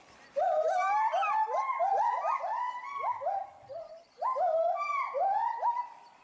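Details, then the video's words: Samuel and Duana, the agile gibbon pair at Bristol Zoo Gardens, UK, loudly excited by something in the bulrushes below their enclosure. Dense chains of upward-sweeping, hooting notes overlap in a continuous duet, pausing briefly before resuming. "GARRULOUS GIBBONS ~ Agile Gibbons (Hylobates agilis)"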